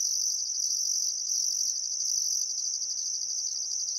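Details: Outback Queensland crickets at a riverside sunset in Welford National Park, still summer afternoon: continuous high-pitched shrilling, with a higher buzzing layer in short bursts during the first half that then falls away.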